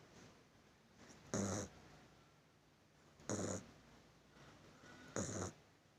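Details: Puppy snoring in its sleep, three brief raspy breaths about two seconds apart against a low steady background hiss.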